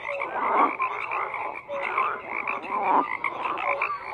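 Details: A short stretch of dense frog chorus: rough, buzzing croaks swell in waves about every second, with brief tonal peeps standing out above the din.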